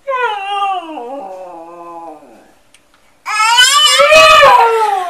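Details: A 'talking' dog gives a long falling whine that fades out, then after a pause bursts into a louder, rougher wavering howl.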